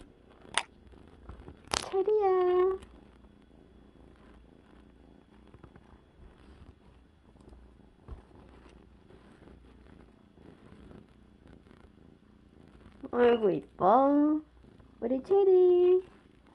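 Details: Cherry, a young rescued kitten, one week on: a sharp click, then a steady mewing cry, a long gap of quiet purring, and two more drawn-out meows near the end, the first bending down in pitch.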